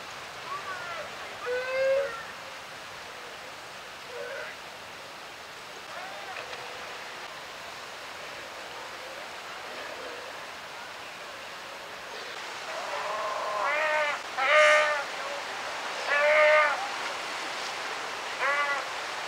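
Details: South American sea lions (Otaria flavescens) call in a colony on rocky shoals at Huiro, Costa de Corral, south of Valdivia, Chile, about 30 m away across surf, with harmonic, wavering bleats and barks over steady surf.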